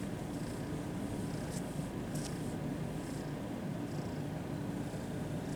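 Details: Friendly kitten at a cat cafe, one of a batch eager for attention, purring while petted; a continuous, dense low rumble fills the whole stretch, with light rustling on top.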